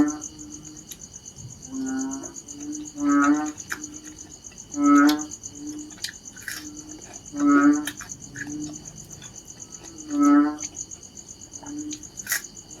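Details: Repeated deep, buzzy, bleating calls of narrow-mouthed frogs, about every two and a half seconds with five strong notes and fainter callers between, over a continuous high insect drone.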